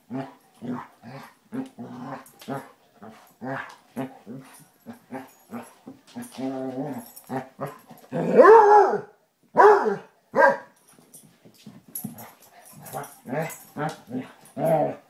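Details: Basset Hound play-fight between Tracker and the new puppy Ranger: rapid choppy growls in quick succession, broken by two loud ringing barks near the middle, then more grumbling.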